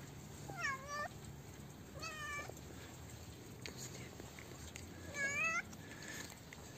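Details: Stray cat, a mother fed together with her hungry kitten, both fearful at first; three clear meows, each rising then falling with bright harmonics, spaced about two seconds apart over a steady low hum.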